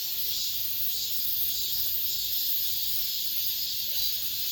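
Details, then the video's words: Final cicadas of summer singing around an apartment complex: intense sizzling buzz holding steady, lightly throbbing in waves, nothing else prominent. "올 여름 마지막 매미소리"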